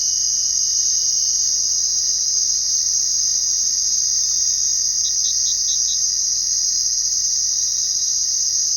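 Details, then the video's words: Crickets chirping at night: steady shrill high trill throughout, with a quick series of five separate short chirps just past the midpoint. "Crickets Chirping at Night"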